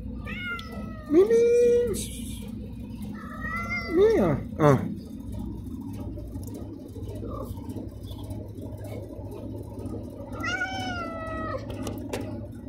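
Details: A malnourished black feral stray cat, hungry and asking for food, meows loudly. Long wavering meows rise and then fall, two close together early on and a third after a pause, over a low steady background hum.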